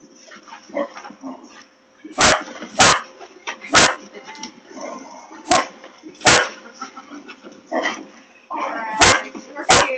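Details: Female Basset Hound with the zoomies in a barn, sharp loud barks at irregular intervals, roughly every second, mixed with whining, yelping sounds; a goat and another dog respond, laughter in the background.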